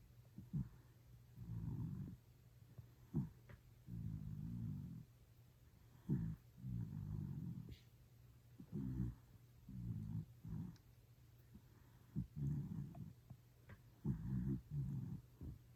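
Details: Deeply asleep Toy Poodle snoring steadily: about ten low, grumbling snore bursts roughly every one and a half seconds, each followed by a short snort-like catch, with quiet pauses between.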